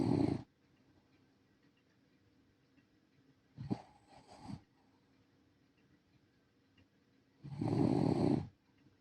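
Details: A sleeping senior rescue Shiba Inu living in the countryside snores in soft, breathy, rasping bursts about every four seconds, with near silence between the breaths.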